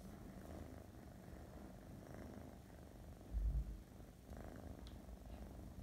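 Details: A female Russian Blue cat purrs with a steady, deep rumble, broken by a brief low thump.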